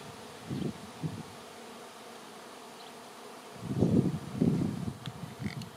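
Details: A honey bee swarm gathered on a branch awaiting relocation. A low hum carries brief loud buzzing surges as bees pass close, one short burst early, then a stronger cluster of humming swells near the end.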